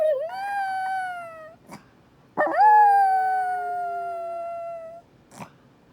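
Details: Female Chihuahua in Minneapolis, upset and howling at the tornado siren tested on the first Wednesday of every month: two long, wavering howls, the first sliding down then level, the second rising sharply then drawing out and slowly falling.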